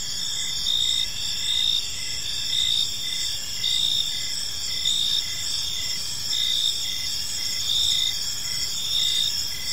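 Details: Crickets chirping on an evening in a peaceful park: a dense, steady high-pitched trill with shorter chirps pulsing in regular bursts roughly once a second, several insects overlapping, faint low background rumble.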